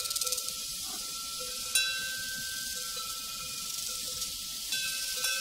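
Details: Crickets on a prairie, a dense high-pitched chorus of chirping that runs steadily throughout with brief pulsing at the start, while faint cowbells ring in the background and two sharper bell clanks stand out.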